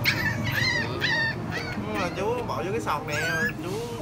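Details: Tiny puppies just over a month old, tied up for sale at a market at noon, whimper and yelp in high wavering cries, overlapping repeatedly, while people talk nearby.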